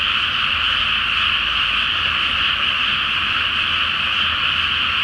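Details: Large frog chorus on a flooded pre-planting rice paddy at night beneath the full Flower Moon; continuous high, rattling croaks blend into a constant shimmering drone, with a light low hum behind.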